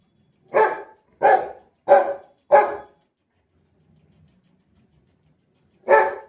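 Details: A pet Rottweiler gives four loud, deep barks spaced about two-thirds of a second apart, falls quiet for roughly three seconds with faint low background murmur, then barks once more.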